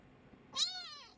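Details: One sharp, high kitten meow seeking attention, a bright harmonic cry that swells quickly and fades gently over about half a second.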